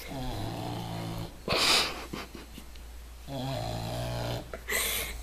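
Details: English Bulldog in deep sleep, snoring indoors: two rattling snores with low, layered harmonic rumbles, separated by a breathy, hissing exhale.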